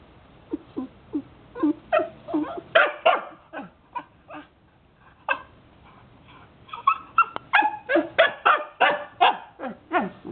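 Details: Jomon Shiba Inu being trained to wait, giving short high yips and barks in quick, uneven bursts, a pause in the middle and then a denser run of yelps.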